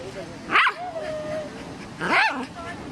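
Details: Playing with his beloved rock, Max the dog barks twice, about a second and a half apart, each bark a short bright burst, with a faint low tonal hum lingering between them.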